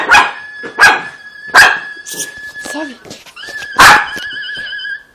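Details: A pet schnauzer reacting to a dog crying from a phone: four loud, abrupt barks spaced irregularly over five seconds, with high, wavering whines from the phone between them and a woman calling in Portuguese.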